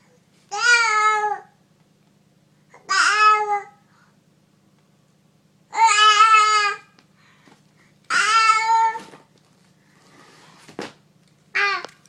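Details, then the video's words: Domestic cat indoors giving drawn-out, harmonic meows, five calls spaced about two to three seconds apart, each under a second long, over a faint low hum. "Yelling at the cat."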